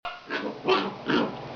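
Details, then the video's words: Itchy puppy whining as if wanting something, a few drawn-out, noisy vocal swells rising and falling in under two seconds, each peak louder than the last. "more random itchy puppy sounds"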